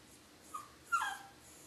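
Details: Dog crying indoors during a thunderstorm: two short high whimpers, the second louder and sliding downward, over quiet room background.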